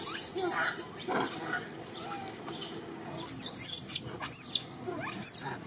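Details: A young orphan monkey gives thin, high sobbing squeals, calling out for another monkey all day, while a second monkey comes to comfort him.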